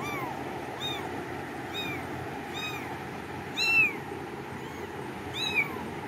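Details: Cat meowing over and over, about seven short arched cries spaced close to a second apart, a couple of them louder and sharper, with faint room hum beneath.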